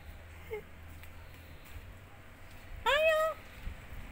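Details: A one-eyed male domestic cat gives a single clear meow, rising then level, lasting about half a second, among faint background murmurs and a man's voice calling to it.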